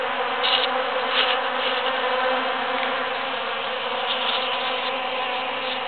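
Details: Many bees working huge cactus flowers after the June 22, 2013 Super-Full Moon, giving a loud continuous buzzing drone with brief higher whines as individual bees pass close.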